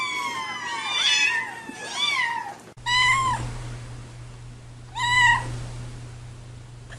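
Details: Domestic cats giving drawn-out, wavering meows, two close together, then a pause and two more single meows, over a steady low hum.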